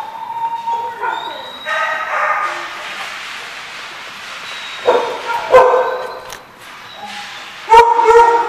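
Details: Several dogs at a dog park, barking in overlapping bursts with yips and whines, loud barks clustered near the middle and end of the clip.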